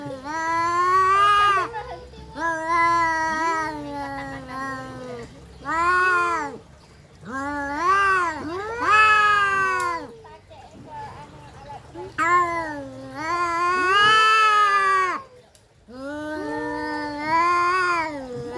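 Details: Domestic cats fighting, exchanging many short to medium harmonic yowls and wails, some rising steeply, others falling, in irregular bursts separated by brief quiet gaps.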